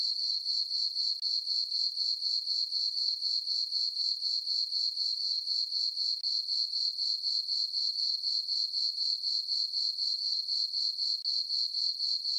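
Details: Crickets chirp on a summer night in a farm meadow under a full moon and dark skies: a high, steady, pulsing chirp about four times per second, around fifty evenly spaced pulses with no other sounds.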